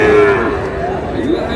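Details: Sahiwal bull calf at a cattle market in Rajbari during sale haggling; a brief steady moo opens, then fades into a lower wavering tail, with market voices faintly behind.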